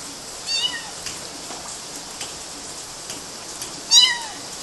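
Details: Climbing kittens on mosquito nets, Galati, Romania, June 2012, give two thin mews, one early and one louder near the end, each sliding downward in pitch, over a faint hiss.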